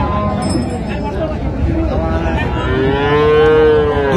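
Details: Dairy cow offered with her calf at Raniganj haat livestock market, Dinajpur, on June 26, 2025: a drawn-out, arching moo rising and easing off over about a second and a half, above steady market crowd murmur.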